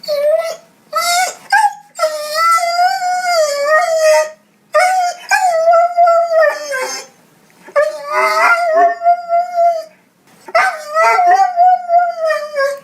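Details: Crying dog, one of several lonely or hurting dog sounds gathered together: long wavering mournful whines, rich in overtones, in drawn-out phrases broken by brief pauses, with short yips between.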